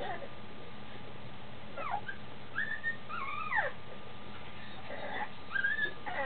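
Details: Two-week-old female Standard Schnauzer puppy twitching in her sleep, giving soft high whistled whimpers and squeaks, some rising and falling, in short bursts over a steady low background hum.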